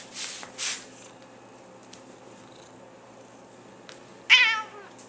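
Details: Tiger, a pet cat also called Nermal, vocalising as she is playfully nudged; two breathy hisses at the start, then one loud, wavering, harmonic meow near the end, with quiet room noise between.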